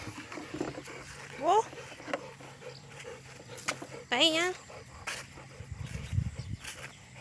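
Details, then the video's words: A Rottweiler busy digging a hole gives two high, rising whines about three seconds apart, the second longer and wavering, over rustling and low background hum. "ร็อตไวเลอร์หรือหมาบ้านนิ ขุดรูเก่งแท้"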